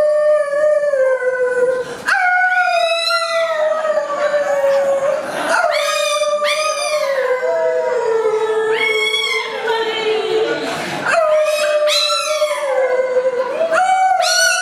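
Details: Pet chihuahua dog singing with its owner: long, sustained tonal howls that slide slowly downward, broken by brief rising onsets roughly every two to three seconds, rich in overtones and steady in loudness.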